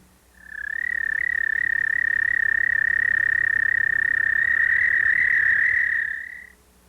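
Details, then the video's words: An American toad in Missouri gives a long, steady, musical trill lasting about six seconds. The species calls from mid-March, lives in forest and breeds in temporary ponds and water-filled ditches. "Now, let's listen to the call of the American toad."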